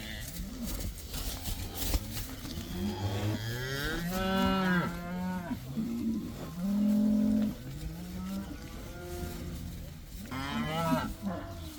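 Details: Cows from a herd of about 80, let outside for the first time, give a string of overlapping moos of varying pitch, some short and some drawn out, over outdoor background noise.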